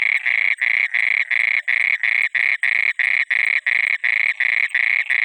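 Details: Night-time frog by water giving fast, rasping croaks, roughly three each second, evenly spaced and loud throughout, with a faint high ringing tone above.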